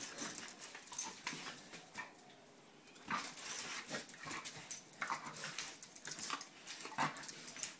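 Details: Two dogs, Roxy and Sofie, playing together; rough breathy snorts and huffing bursts come in uneven clusters, with a quieter pause around the middle.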